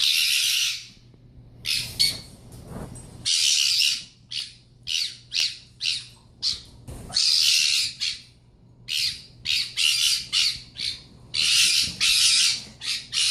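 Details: Loud pet fennec fox delivering a long run of harsh, hissing screams, each half a second to a second long, with short pauses and a few brief squeaks between them.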